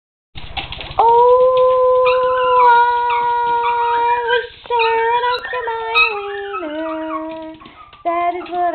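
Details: Two Chihuahuas howl together in long, sustained, wavering tones, one voice pitched above the other, "singing" along to the Oscar Mayer Wiener song.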